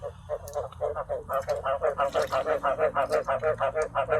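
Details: Frogs filling a cage with croaks, not yet bred because water is lacking; rapid nasal croaks repeat about three times a second, blending into a steady pulsing chorus.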